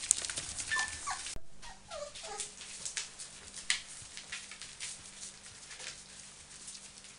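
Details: Samoyed puppies at five weeks old, beside their mother Meritähti: short high whimpers and yips come in a quick cluster during the first few seconds, then fade under soft shuffling and clicking noises of the litter moving about.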